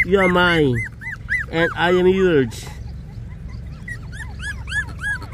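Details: Puppies 24 days old give two long, strong wavering whines in the first seconds, then a run of short, thin, high squeaks repeated rapidly toward the end.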